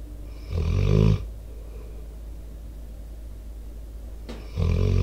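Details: Debo, a four-year-old American Staffordshire Terrier/Pitbull, snoring while asleep close to a microphone outdoors. One long, harsh, rattling snore, then a quiet pause and a short click, then another heavy snore begins.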